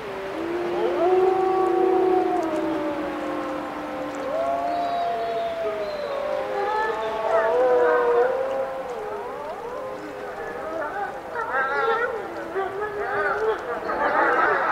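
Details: Chorus of wolves howling together: several long, sustained tones overlapping at different pitches, some level, others sliding up and down, with rising and wavering voices stacking up and growing busier toward the end.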